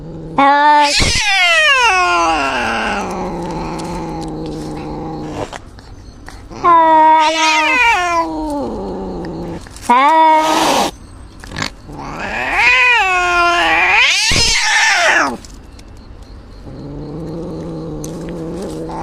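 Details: Two cats fighting in a forest, one reportedly injured: repeated loud harmonic yowls that swoop up steeply and fall back into low moaning wails, several rising bursts across the clip with growly stretches between them.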